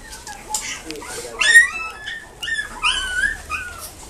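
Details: Long-haired Chihuahua at a pet shop in Nagoya, Japan, making thin, high whines and brief rising whimpers in short bursts, with faint speech in the background.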